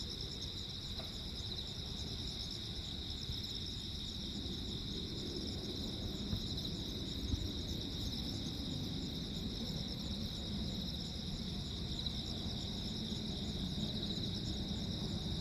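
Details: Nighttime crickets on Jeju Island, South Korea, 15 August 2024, singing through a lightning storm: a constant high pulsing trill persists beneath stronger low rumbling noise that swells midway, with a brief tick early on.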